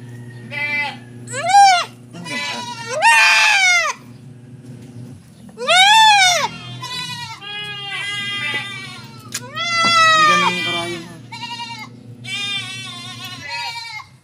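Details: Young goat kids receiving 1 ml B-complex injections give loud, wavering, arched bleats in irregular bursts, several overlapping, over a steady low hum and background music.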